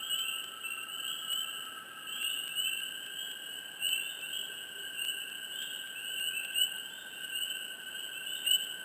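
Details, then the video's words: Swamp frog chirps recorded close, scattered quick rising notes at uneven intervals, set against an unbroken high whining chorus that fills the background throughout. "Frogs,Chirps,Close,Hush,Swamp Sound Effects"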